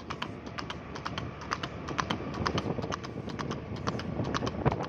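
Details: Horse running fast on a road, its hooves striking in quick, sharp clip-clop beats, about two per second, over a steady low rumble.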